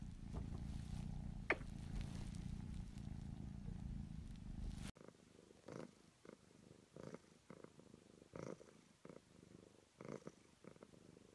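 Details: Purring domestic cat from a purring compilation: a dense low rumble for about five seconds, then an abrupt cut to a quieter, pulsed purr with rhythmic breath-like surges roughly twice a second.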